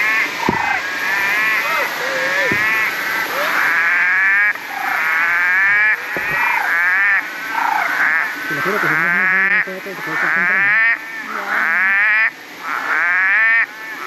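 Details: A dense chorus of frogs gives rapid, rattling pulsed calls that overlap almost without pause, in the Gondwana rainforest of Springbrook National Park near the Gold Coast, Queensland, Australia, on a rainy day.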